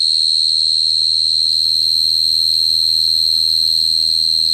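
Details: Continuous shrill cricket song, a bright single-pitched high trill with an overtone above, pulsing evenly around four times a second, with soft low rumbling noise underneath.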